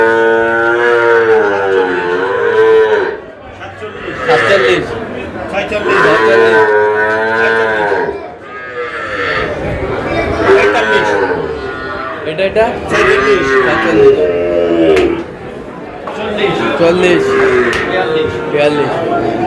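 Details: Young bull calves at a cattle market in Narsingdi, Bangladesh, being bought by a farmer: long, drawn-out, strongly harmonic moos follow one another almost continuously, some overlapping, with brief pauses near three and nine seconds amid market background noise.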